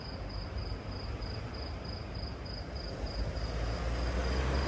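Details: Crickets on empty Monaco streets on a Friday night around 10 p.m.: a high, thin chirp pulses steadily about three times a second over low street rumble.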